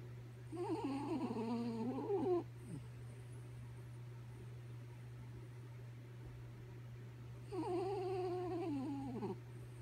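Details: Kaya Boo, a sleeping dog, snoring: two drawn-out, wavering, whistle-like tonal moans about two seconds each, separated by a quiet stretch, over a steady low electrical hum indoors.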